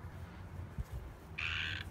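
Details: The same frog calling loudly from the back of a house, recorded outdoors on a walk around the home. One brief, harsh, buzzy croak comes near the end after low handling thumps and background rumble.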